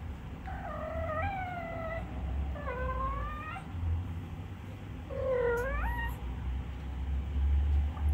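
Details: A male Minuet (Napoleon) cat, said to meow a lot lately, gives three soft, drawn-out meows, each bending upward, over a low background hum.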